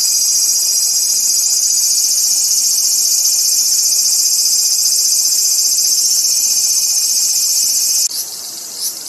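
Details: ['Loud, unbroken shrill buzzing of a cicada at a steady level for about eight seconds, then cutting off abruptly, leaving a softer rasp and a brief final burst.']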